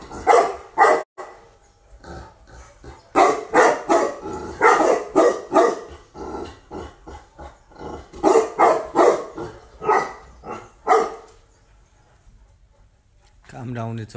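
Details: Fresh import from Russia, a female Tibetan Mastiff gives bursts of rapid barking separated by short gaps, then falls silent before a low tonal sound closes the stretch.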